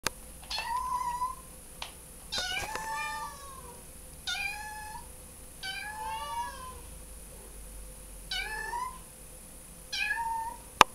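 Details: Male foster kitten, formerly living on the street, on his first day indoors with a foster family, calling to other cats he hears outside his door: high rising-falling meows repeated every one to two seconds, with a few clicks.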